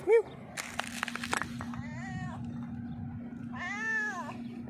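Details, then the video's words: Stray cat on a rock begging for food, hungry and meowing loudly: a short sharp tone and a burst of tapping noises, then two bending, drawn-out meows about two seconds apart over a constant low hum. "hungry stray cat sitting on the rock meowing loudly asks me for food."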